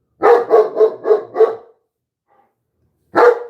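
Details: Late on a Friday night, a German Shepherd, hackles raised, barks in alarm at many coyotes howling close by: a fast run of five gruff, deep barks, then one more after a short pause.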